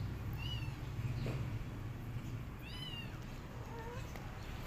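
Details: Kittens with their mother cat, who is back after two days and feeding them milk; three short, high-pitched mews, the middle one a clear arched cry, the last lower and softer, over a constant low hum.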